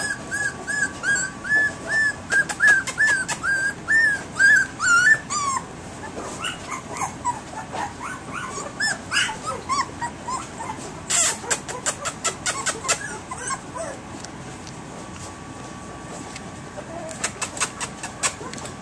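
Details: Three-week-old puppies in a litter, barking to get their owners' attention; a run of high whimpers and yips about two per second, overlapping pups, with sharp clicking knocks in the middle.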